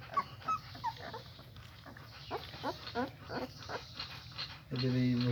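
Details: Young German Shepherd puppies, eyes still opening, whine in a quick series of rising and falling squeals after feeding, then a loud steady droning hum cuts in at the end.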